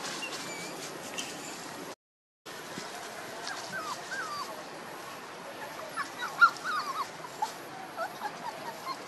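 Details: One-month-two-day-old puppies whimper with thin, wavering, whiny cries, at first faint, then clustered and louder toward the end, over a hissy background with a brief cut near the start.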